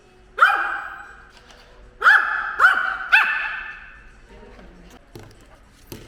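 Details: Ten-year-old household dog barking as it attacks a drone, which it strongly dislikes; four quick, sharp barks in the first three seconds, then faint background rustling and a soft click near the end.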